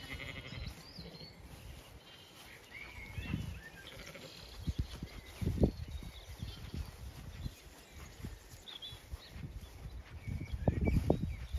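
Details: Zwartbles sheep, the main flock, moving to windcharger field for cool late afternoon grazing on a regenerative farm in County Kilkenny, Ireland; short faint bleats near the middle and end over low rumbling movement and grazing noise, with small birds chirping high above.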